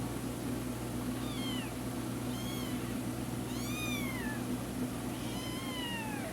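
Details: Ginger village kittens mewing: four high, thin, falling meows spaced about a second apart, over a steady low hum and background hiss.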